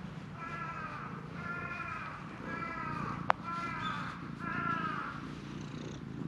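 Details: Stray cat at a shrine, insistently demanding to be petted, purring in long rhythmic pulses with harmonic bands; a single sharp click near the middle.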